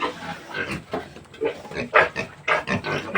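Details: Farm-kept native piglets during weaning from their mother sow. Quick irregular series of short, noisy squeals and grunts, about two per second, growing louder toward the end, with faint human speech.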